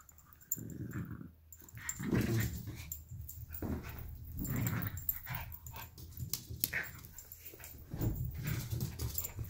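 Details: Two dogs, a 12-week-old Alaskan Klee Kai cross Pomeranian puppy and a 7-year-old American Eskimo cross Chihuahua, fight over a toy fox indoors; low rumbling growls come in bursts throughout, with thumps and scuffling between them.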